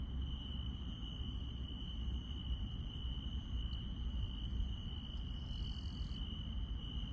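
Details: Night-time grass insects in the countryside keep up one steady piercing trill, joined by evenly spaced high ticks and a brief rasping buzz toward the end, against continuous low-pitched rumble.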